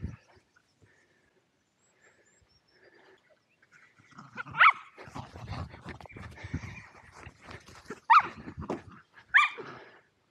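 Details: Two Welsh Terriers, Zorro and Zula, playing at Torgo Talu Guesthouse & Farm in Estonia, filmed on an Insta360 Go2: a quiet start, then a few short, sharp barks at irregular intervals amid scuffling and panting.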